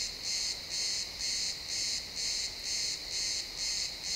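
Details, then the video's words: Sunset in the pine woods, a cricket producing rhythmic high-pitched chirps, each a short buzzy burst, about two per second in even succession; faint ambient forest sound, XY stereo. "Cricket sounds in the pine forest"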